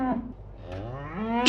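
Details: A cow gives a single drawn-out, low moo that swells and rises in pitch toward the end; a child-directed voice names the animal just before and after.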